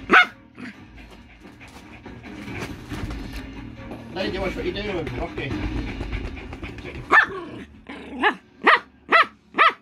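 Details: Rocky, a poodle, playing with his new toy: a jumble of indoor sounds and voices gives way to a run of sharp barks, about five in the last two seconds.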